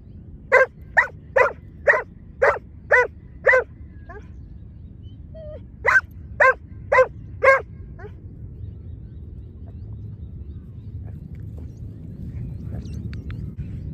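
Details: Lure training with two dogs, including a Giant Schnauzer: seven rapid evenly spaced barks, a brief pause, then four more barks, followed by about six seconds of quiet with low background rumble.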